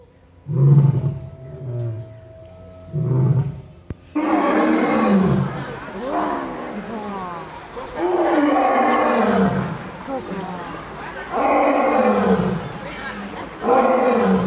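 A lion gives deep, rasping roars in repeated bursts that slide downward in pitch.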